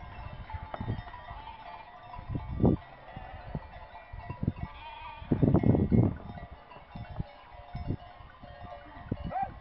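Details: A flock of sheep bleats in short, wavering bursts over low rustling and clinking, in the village of Rapesh, Mariovo, Macedonia.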